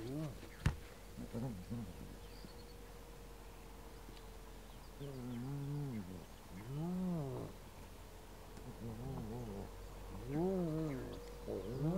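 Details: Spotted hyena cubs at their clan's den near Transport Dam on the S66, Kruger National Park, in the morning: a series of low, arching whines rising and falling in pitch, each about half a second, over a steady faint hum and background rustle.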